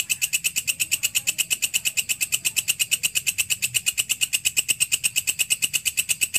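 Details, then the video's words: Walang kecek grasshopper, also called belalang kerik, kept as a training sound for songbirds: a harsh, metallic pulsed rasp repeated evenly about twice a second, with bright high overtones and faint low rumble beneath. "Masteran walang kecek / belalang kerik cocok untuk masteran semua burung"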